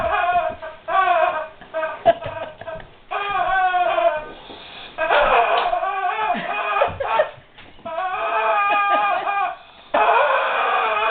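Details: Guard dog whining over a squeaky toy it doesn't know what to make of; wavering, harmonic whimpers in repeated bursts, rising and falling, broken by short gaps and a few sharper squeaks.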